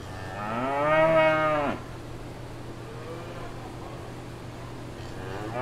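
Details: Cows mooing out on a farm in the countryside: one long harmonic moo rising then falling over about 1.5 seconds, then a quiet stretch with steady low hum and a second moo starting at the end.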